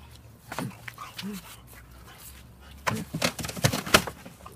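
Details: French Bulldog playing with a big paper box, giving short scattered grunts and snuffles with tearing cardboard rustle; a person speaks briefly.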